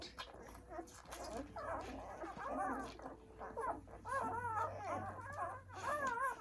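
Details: Newborn poodle puppies on their first day of life squeal while nursing; wavering high whimpers, repeated and overlapping, grow louder and more frequent toward the end, with a faint steady hum underneath.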